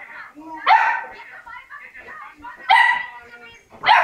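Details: Labrador Retriever puppies leaving their siblings; three loud, piercing yelps roughly two seconds apart, joined by a thin, wavering whine in between.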